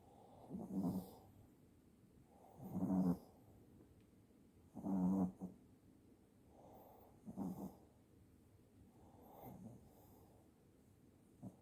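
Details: Pet Shih Tzu dog asleep and snoring: low, rumbling snores with a raspy buzz, coming in steady bursts about every two seconds, five snores in all, and little else heard in a quiet room.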